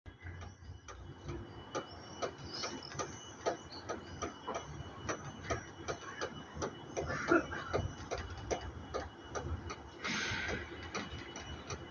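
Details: A steady run of sharp, clock-like ticks and clicks with a brief rushing burst of noise near the end, and no clear animal voice.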